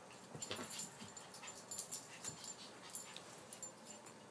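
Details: Dog panting during play time: soft, breathy, hissing huffs that come in quick bursts about every half second, quiet and close, with no other clear sounds.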